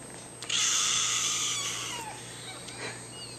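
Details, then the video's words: Kitten giving one long, thin, high-pitched meow lasting about a second, likened to a baby's cry, followed by fainter short squeaks and a steady background hum. "Cute kitten meows like a baby / un joli chaton qui miaule comme un bébé"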